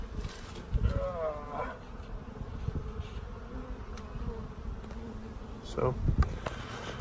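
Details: Honey bees from a newly installed package at a hive fitted with a smaller entrance so the colony can establish and defend it; a steady low droning hum of many bees with brief handling noises and a voice.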